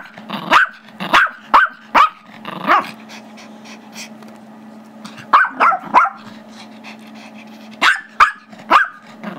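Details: Five-year-old Chihuahua/Yorkie mix Gizmo yaps while playing tug with Tigger, a 2-year-old Yorkie, over a squeaky toy; clusters of three to four shrill barks separated by pauses, over a faint continuous hum.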